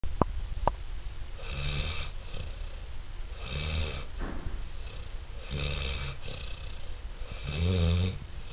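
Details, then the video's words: Wilson, a six-month-old Saint Bernard, snoring in steady, rhythmic rumbling breaths, each harsh nasal snore lasting about a second and returning roughly every two seconds; two sharp clicks at the start. "St. Bernard Snoring"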